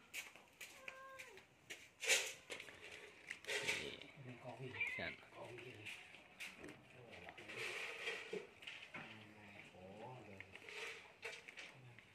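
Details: Domestic cat being fed, giving short falling meows near the start and again later, mixed with human voices, clicks and clatter of feeding in a small room.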